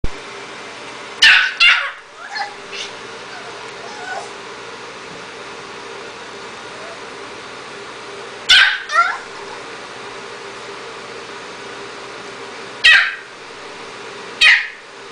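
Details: Two-month-old puppy demanding its meal indoors while showing off newly learned sit and down commands; short sharp yapping barks come in spaced bursts, one pair early, then single yaps after a long quiet gap and near the end.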